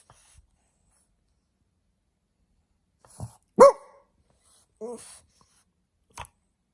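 A French Bulldog gives a single sharp, yelping bark, followed by a short grumbling whine.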